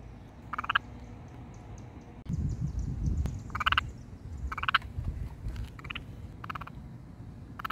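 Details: A little garden toad croaks with its vocal sac inflated, giving short, raspy, pulsed croaks repeated in bursts about every second.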